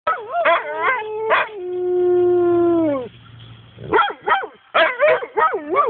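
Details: Two pet dogs singing together: short yelping, wavering howls, then one long steady howl held for about a second and a half that sags at its end, followed by more quick rising-falling yowls.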